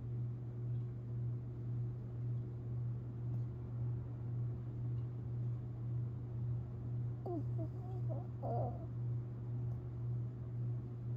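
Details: Tinkerbell, a Long Haired Chihuahua, dreaming and snoring while asleep, April 17, 2021; a few faint high squeaky whimpers late on, against soft rhythmic breathing and a steady low household hum.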